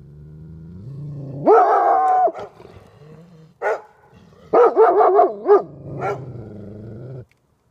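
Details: Two Golden Retrievers barking at a porcupine: a drawn-out, wavering howl-like bark, a lone sharp bark, then a quick burst of five yelping barks, with low grumbling growls between.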